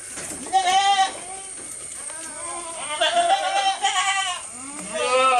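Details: Goat filmed up close while eating, giving wavering, nasal bleats in three bursts, each about half a second to a second long, with quieter murmuring between them and a steady high hiss throughout.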